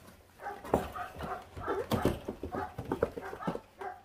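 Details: A litter of five feral puppies, 28 days old, feeding on raw meat. Rapid overlapping harmonic yelps and throaty growls come in quick bursts, with soft human speech in the background.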